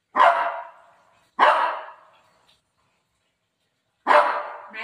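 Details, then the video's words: Pet Shih Tzu barking at its owner to stop her eating mango: three sharp, loud barks, each fading into a short tail, the first two about a second apart, then a longer gap before the third. "shih tzu barking video"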